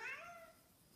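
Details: Snowshoe cat missing its owner gives a single short meow indoors, a bright harmonic cry that fades and slides slightly upward within a second.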